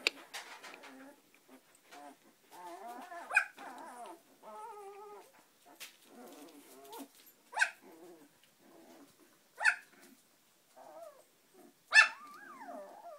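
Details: Samoyed puppies, 18 days old, finding their feet; soft harmonic whimpers and squeals rising and falling, several overlapping little voices, with sharper high yelps at intervals.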